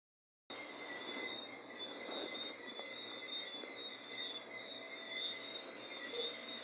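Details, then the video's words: Cricket calling in a steady, unbroken high-pitched ringing trill that starts abruptly after a brief silence, with fainter lower-pitched buzzing tones underneath and a soft background hiss. "Cricket sound"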